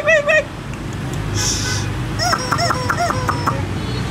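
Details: Litter of four red (yellow-white) Shiba Inu puppies, two months old, from imported parents; short arched, nasal whines and yelps, a pair at the start then a quick run of several, over steady low background noise.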